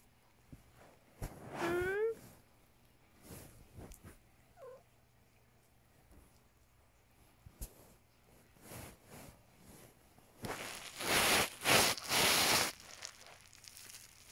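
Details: Domestic cat giving one short, rising, harmonic meow early on, then a faint brief second call, followed by quiet stretches with small clicks and, near the end, several loud bursts of rustling or handling noise.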